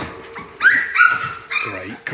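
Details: Six newborn Labrador Retriever puppies, just woken in the morning after night feeds with their mother, whine in high, drawn-out tones; one unusually vocal female pup stands out, with a person talking nearby.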